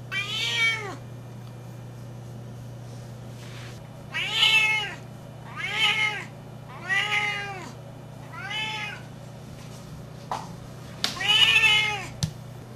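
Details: A 12-year-old female Siamese cat gives loud, drawn-out, arching yowls, repeated every second or two, calling for a mate.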